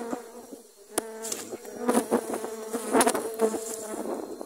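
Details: Dwarf honey bees attacking while grass was being cut; a steady low buzz from the swarm runs throughout, broken by sharp clicks and knocks.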